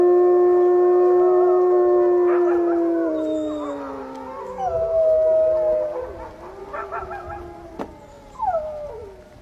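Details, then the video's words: Wolves in a chorus howl: one long, steady low howl held for about three seconds and then sliding down, while higher voices rise and waver above it, with a few short yips near the end. "Howl Wolf Sound Effects"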